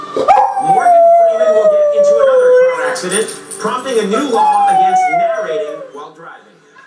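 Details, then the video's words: A pet dog howls along each time a recurring late-night television comedy segment airs: two long drawn-out howls, each starting high and sliding gradually down, over the segment's background audio. "Luckie Sings "in the year 2000""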